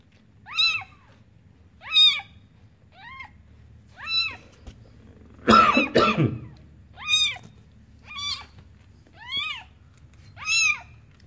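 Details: Village-born newborn kitten giving a steady series of thin, rising-then-falling mews about once per second, interrupted midway by a loud burst of handling or rustling noise.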